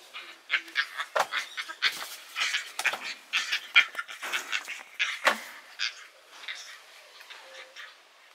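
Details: Yucatan black howler monkey, a rescued baby, angry and yelling at other rescued monkeys: quick run of short, harsh, grunting and squealing cries, several per second, easing off toward the end.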